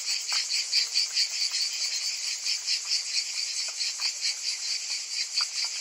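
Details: A summer chorus of cicadas: a shimmering, pulsing buzz over faint ticking sounds, rising and falling in quick uneven beats.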